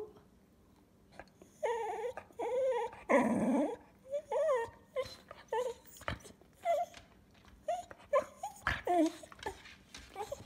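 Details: Pet cocker spaniel indoors, begging for food and 'talking': a run of wavering, whiny yowls with rich harmonics, each rising and falling, coming in bursts about once a second, while the owner's voice breaks in between.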